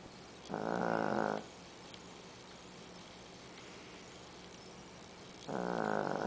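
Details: Sleeping small female dog, 13 pounds, snoring loudly: a rough, rattling inhaled snore near a second long, a quiet pause, then another starting about five seconds later, against constant low room hum.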